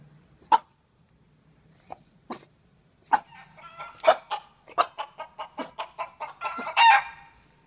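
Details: A young French Bulldog learning to bark gives short, hoarse, yippy barks that speed into a quicker run of clipped woofs.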